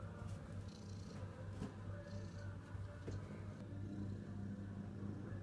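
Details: A male ginger tabby cat purrs in a steady, low, continuous rumble.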